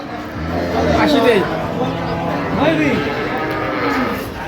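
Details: Cow at Ambari cattle market during price bargaining; two long wavering moos with rising and falling harmonics, overlapped by men haggling and market chatter.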